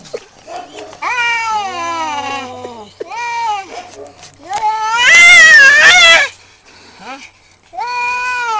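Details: Two tomcats fighting over territory right outside a home, trading harsh wavering caterwauls, one loud strained howl in the middle, with short pauses between outbursts.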